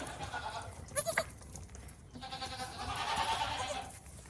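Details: Farm goats give a brief quavering bleat near the start, then a longer sustained, nasal wavering cry toward the end, over a noisy farmyard background.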